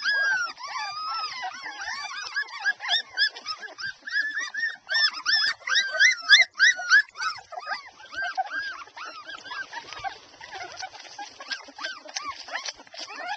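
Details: Twelve Airedale Terrier puppies aged two and a half weeks, nursing together, produce a dense chorus of thin, high, bending squeals and whines, constant and overlapping throughout, with brief quieter gaps.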